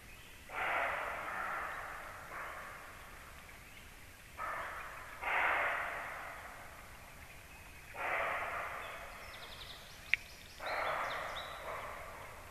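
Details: Deer barking close to a black stork nest in the evening, 19:31: five rough, hoarse barks, each about a second long, spaced roughly every two to three seconds, over quiet outdoor background with a few faint chirps.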